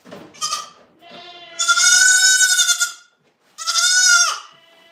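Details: Goat at The Willful Goat Farm & Home: a brief bleat, then a long sustained quavering bleat over a second long, then another strong bleat that drops sharply in pitch at its end.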